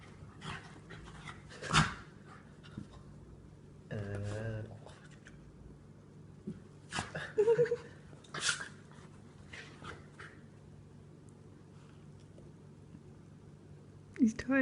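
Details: Sneezing fit from a rescued dog with cancer, spinning indoors: scattered sharp snorting bursts, a brief human voice early on, then more sneezes and a final loud snort.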